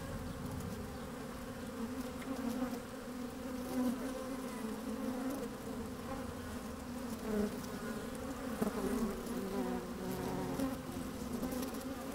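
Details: Open beehive on a fine sunny day, microphone inside with the working honey bees: a thick continuous hum whose low drone swells slightly at times, with occasional louder buzzing surges and light rustling from moving bees.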